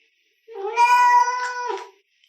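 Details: A single drawn-out meow from an orange domestic cat arguing with its owner indoors, a steady harmonic wail about a second and a half long that wavers slightly near the end; a person speaks just before and after.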